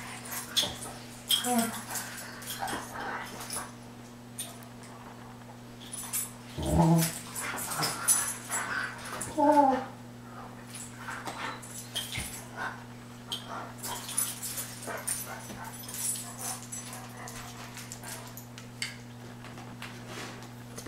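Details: Dobermans at home squabbling over cooling pads on a hot day, each trying to take the pad the other lies on; short whines and growly vocal bursts over steady indoor hum, with a person speaking.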